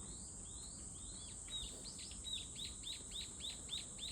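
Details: Cicada song with long upward-gliding notes that shorten into quick, evenly repeated chirps, roughly three or four each second, growing louder, set against a constant shrill whine.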